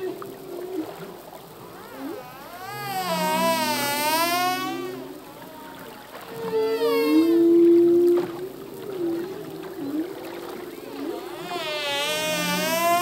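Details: Humpback whale male singing a full-length song at sea: rich harmonic wavering cries repeating roughly every four seconds, interleaved with lower steady moans and short rising swoops.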